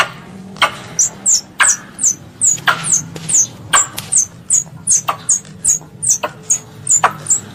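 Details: Calling to its mother, a squirrel, regarded as a pest, repeats thin falling squeaks at a brisk, slightly uneven pace, with sharp clicks and a faint low drone beneath.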